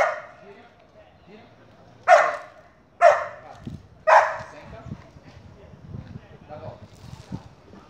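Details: Border Collie during obedience training with commands to pass, stay, lie down and spin: three sharp, loud single barks about a second apart, followed by quieter rustling and faint thumps.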